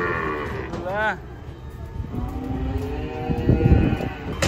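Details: Cattle unloaded from a truck, one of them angry; a short moo that rises sharply, followed by low rumbling and shuffling, with a man's voice nearby.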